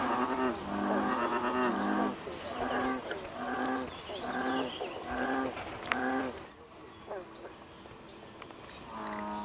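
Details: American bullfrog chorus from the Basha Kill Wetlands, recorded June 6, 2011. Deep twanging notes come in a regular series, about one every half second. After a brief lull, a final croak is heard.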